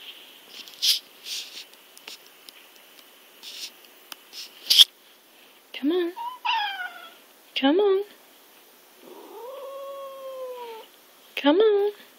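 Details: House cat perched on a laptop, refusing to give up the spot, meowing while a person repeatedly urges it to move; several short rising meows, then one long drawn-out wavering meow and a final rising cry, amid soft coaxing speech.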